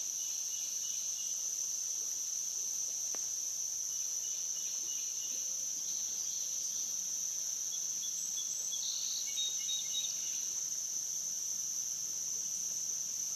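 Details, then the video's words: Dusk-to-dawn riverside recording at the Licking River, Morning View, with cicadas: an unchanging shrill drone fills the air, and short chirping bird calls flicker in now and then, including a brighter burst about two-thirds through. "Cicada to Cicada - a 12 hour accoustical journey on the Licking River in Morning View"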